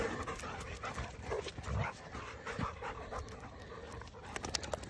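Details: Pair of dogs wrestling playfully in the morning: rapid panting, snorts and scuffling bursts, occasional low thumps and a short whimper, with background hiss and a person speaking softly.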